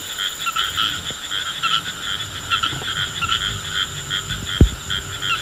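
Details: A caught rain frog, touched by hand, gives rapid, repeated croaking pulses with a buzzy, drum-like quality.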